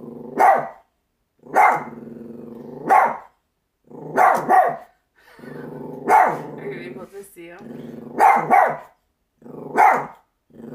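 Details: A female pet Chihuahua barking at nothing: about eight sharp, rapid barks, some in quick doubles, each running into a buzzy growling drone, with almost no pause between them.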